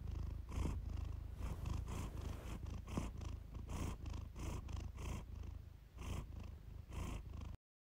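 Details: Purr-therapy recording of the cat Iris: a dense low rumble carried in quick, uneven breath pulses for about seven and a half seconds, then silence.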